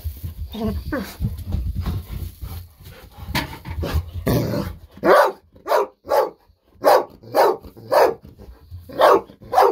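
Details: Golden Retriever Bis, thrilled at treat time and refusing to wait quietly, begins with muffled noise and low voices, then breaks into a run of about nine loud, evenly paced barks.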